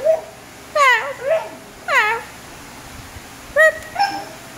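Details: Basenji dog indoors vocalizing back to its owner: three short yodel-like whining calls, sliding high then dropping, with a softer trailing note, in a small room.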